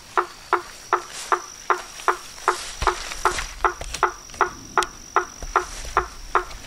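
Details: Frogs and toads: sharp, clicking croaks repeated evenly about every third of a second, each a brief broadband knock, over a soft steady background hum.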